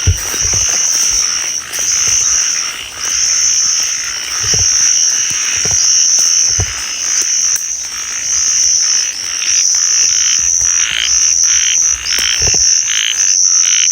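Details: About two small frogs, heard but not seen, give small-voiced calls: high, thin, buzzy notes repeated about once a second over a lower pulsing chatter, with faint footsteps or handling thumps.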